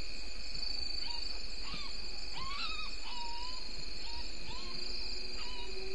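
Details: Bushbaby (galago) at Gowrie dam waterhole, Djuma Game Reserve, Sabi Sand Wildtuin, South Africa, in early morning darkness at 03:33 on 02/09/19, picked up by a live waterhole camera: short arched calls repeated about every half to three-quarter second over a steady insect drone.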